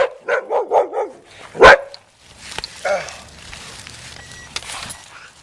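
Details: Puppy chasing a remote-control car gives a run of four quick, high yips, then one sharp, louder bark, followed by softer scuffling noises and a faint mechanical whine.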